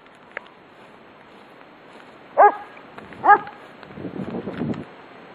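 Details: A German Shepherd barks from its yard at a passer-by walking past: two sharp, loud barks about a second apart, then a rougher, lower, noisy stretch of growling sound.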